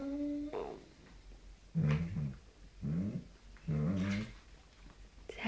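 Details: Angry Doberman indoors, upset over a stolen treat, giving short, low, rumbling growl-grumbles in three bursts about a second apart, preceded by a brief higher tone.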